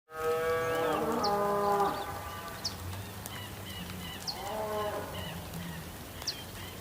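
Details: A cow on a farm gives a long, loud moo, then a second quieter one, over steady rain.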